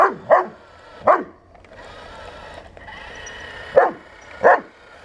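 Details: Bernese Mountain Dog named Buddy facing a 1:16 scale remote-control tank: four sharp, loud barks in two pairs, with a whirring motor drone filling the gap between them.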